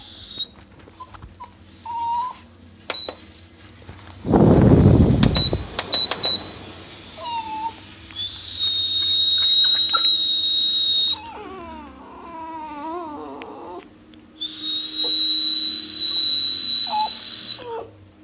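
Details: A dog that dislikes high-pitched noises, reacting indoors to steady high electronic tones. After a loud thump, it gives a wavering, warbling whine between the tones, which then return as a long piercing beep.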